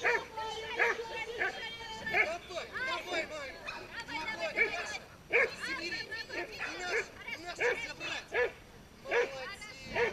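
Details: Pit bull pulling in a tug-of-war event at a pit bull show; choppy, high barks and short yelps repeat irregularly over a background of voices.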